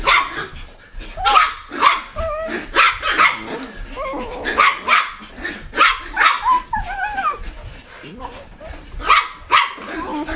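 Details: A puppy barking and yipping in rapid, uneven bursts, high-pitched yelps with some whiny rising tones between them, repeated throughout about ten seconds, with occasional human voices in the background.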